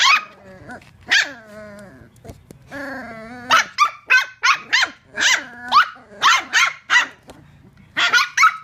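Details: Two rescue dachshund puppies playing and roughhousing, one taking on a bigger dog, with whiny drawn-out yelps and growls giving way to a rapid series of sharp high barks, roughly two per second.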